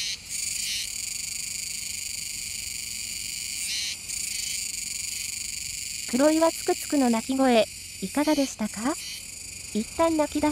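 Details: Kuroiwa's cicadas chorusing near the Koumegawa river mouth, Tenjin-cho, Nishinoomote, Tanegashima, Japan, on 7 September 2022: a steady, unbroken high-pitched shrill buzz throughout, with spoken narration overlapping the last four seconds.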